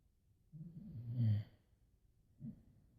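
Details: Boxer named Laila sleeping beside her owner, mild snoring: a low rasping inhale swelling over about a second, then a softer short exhale snort, in a quiet indoor room.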